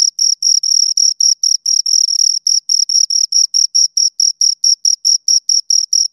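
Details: A pair of crickets making rhythmic stridulation chirps, bright high notes in short bursts roughly twice a second, with slightly uneven spacing early on and nothing else audible.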